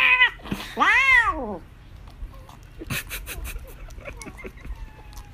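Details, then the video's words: Indoor British Shorthair in southern China's Chaozhou throwing a strop over a removed treat: two loud whining meows, the second arching up and down, followed by soft clicks and rustling. "Cat throws hilarious tantrum over food"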